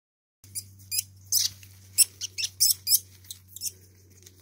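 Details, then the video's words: Two least weasels fighting each other, giving a rapid series of very high, sharp squeaks and chitters in short bursts, with a low steady hum underneath. "Kampf der Mauswiesel"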